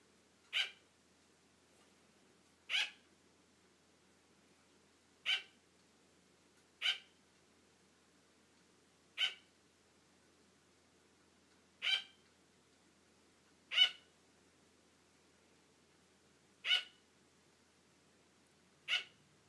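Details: A female sugar glider gives sharp, high yapping barks about every two seconds, seeking attention as her owner starts to fall asleep, wanting to keep playing.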